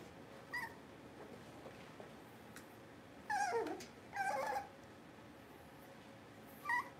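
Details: Puppies on a livestream during a power outage give short, high whining squeaks, three or four separate bursts with quiet pauses between them, over low room hiss.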